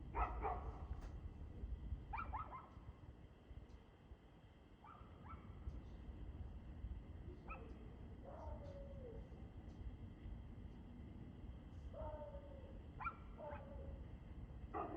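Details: Dog heard barking on 2/6/2024 at 6:02 pm, sounding far off: single and paired barks with a downward-sliding tone, repeated every one to three seconds over continuous low background rumble and a steady hum.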